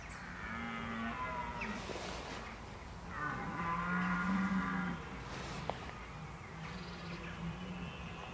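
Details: Red deer in October 2014, bolving (bellowing) while preparing for the rut: three long, low, hoarse bellows with rich harmonics, at the start, mid-clip and near the end, each lasting one to two seconds over a quiet outdoor background.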